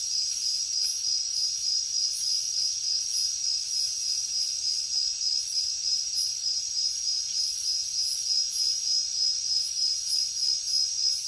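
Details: Night-time jungle crickets: a loud, continuous high-pitched trill of rapid, regular pulses, about three a second, over a softer pulsing insect chorus higher up.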